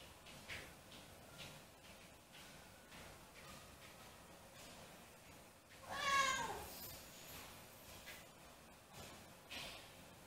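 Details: Siamese cats left home alone and missing their owner: one loud, drawn-out tonal meow with rich harmonics about two-thirds of the way through, preceded by soft faint cries and light indoor rustling.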